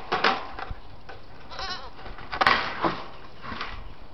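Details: Young white Saanen/Alpine cross goats, six-week-old kids named Lily, Rose and Buttercup, kept as new farm animals; brief wavering bleats rise and fall amid soft rustling and a few sharp knocks.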